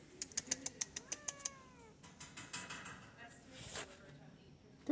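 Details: A deaf, friendly domestic white cat up for adoption, being petted while another cat sniffs nearby, gives a short, falling meow with layered overtones, preceded by rapid clicking taps and accompanied by a person speaking softly.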